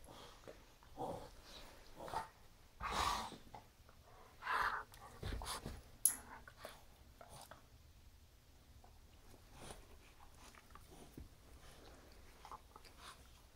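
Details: French Bulldog playing and spinning with a Weimaraner companion; a few short gruff grunts and snorts in the first six seconds, then mostly quiet scuffling.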